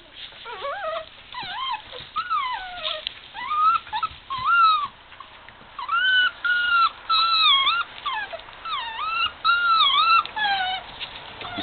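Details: Male puppy playing in a pile of littermates, giving high, whiny whimpers and yelps that arch up and fall back, in short bursts roughly every few seconds, with some overlapping squeals from other pups.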